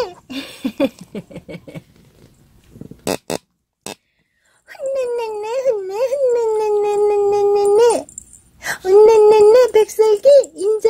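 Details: Shih Tzu pet dog indoors in a small room, giving a long drawn-out tonal whine that wavers slightly in pitch for about three seconds and then resumes in shorter bursts, after scattered quiet sounds and a person speaking.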